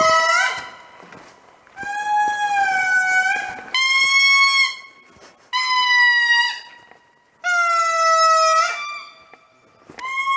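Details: An indri calls in the morning at Andasibe, Madagascar, with loud, drawn-out wailing notes, each held steady and then sliding down at its end.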